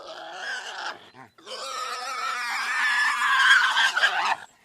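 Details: Pig squealing loudly in a long, harsh, rising scream with broad noisy energy, after a shorter squeal and a brief grunt-like pause.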